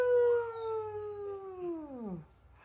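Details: Long drawn-out howl from a pug puppy aged four months: a clear, even tone with strong overtones that holds for about two seconds, then bends down and trails off into quiet room noise.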